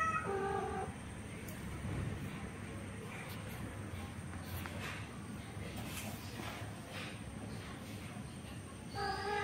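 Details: Orange male cat after a female cat, trying to mate with her by force, lets out a short, strained harmonic meow at the start and another at the end, with noisy rumbling in between.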